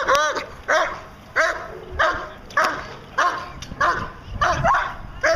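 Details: A 14-month-old German Shepherd Dog doing Schutzhund protection work barks in loud, harsh, regular bursts, roughly one every second, with a few quick doubled barks.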